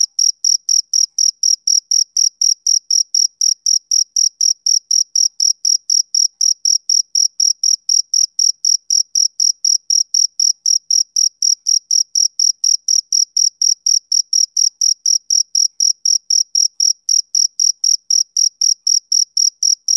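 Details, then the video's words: Continuous male cricket chirping typical of summer evenings: a long, unbroken train of rapid high-pitched pulses, about four each second, metronome-like and uniform for twenty seconds, with no background noise. "Cricket Chirping Sound Effect"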